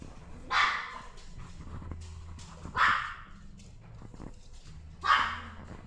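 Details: Female cream-coloured Chihuahua born May 2018, kept at a pet shop, giving three short bright barks spaced about two seconds apart, with a low steady hum in the background.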